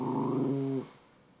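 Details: Pet dog, said to sometimes howl like a hound dog, giving one drawn-out, steady, harmonic howl-like note lasting under a second, then quiet room tone.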